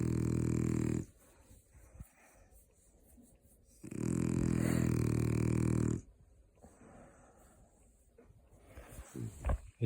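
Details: A French Bulldog, newly taken in as an emergency rehome, fake-snores with loud, rumbling, gravelly snores in two long bursts.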